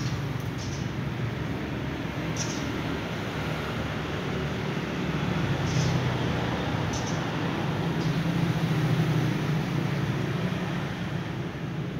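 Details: Only a constant low roar of traffic-like noise with a few faint high ticks, and no animal voice.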